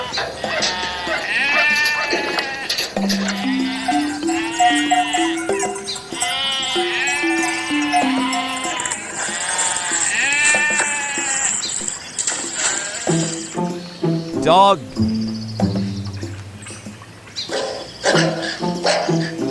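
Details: Sheep bleating in a series of quavering, nasal cries over the first half, set against a loud backing melody of stepped notes, followed by mixed clattering and music.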